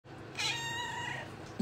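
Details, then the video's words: Domestic cat giving a single soft, drawn-out meow of about a second, clear and harmonic, with a brief sharp click at the very end in a quiet indoor setting. "Cat sound effect"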